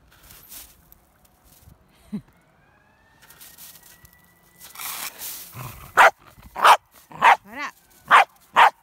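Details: Female Pembroke Welsh Corgi playing in a snowy field: about five sharp, loud barks spaced roughly half a second apart in the final three seconds, after a man's speech and soft rustling earlier on.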